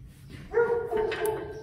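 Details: Friesian horse from a herd whose manes are being braided, giving a steady, tonal, harmonic-rich whinny of about a second that holds an even pitch and fades slightly, over quiet background rumble.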